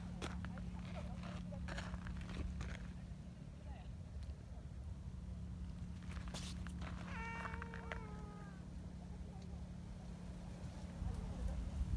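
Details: Affectionate tabby community cat meows once in a level, fairly low tone lasting over a second. Human speech comes first, over a constant low hum and rustling.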